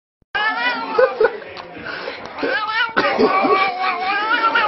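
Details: Cat making long, wavering, talking-like meows and caterwauls, harmonic-rich and sliding up and down in pitch, in two long stretches with a brief break near three seconds.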